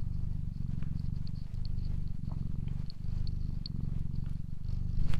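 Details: Deep rhythmic purring of a cat, inhale and exhale bursts alternating under a second apart, steady and even throughout, with faint clicking and a thin high-pitched whine behind it.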